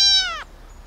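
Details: Single loud, high-pitched meow from an abandoned baby kitten rescued from a street box, held steady for under half a second before cutting off abruptly.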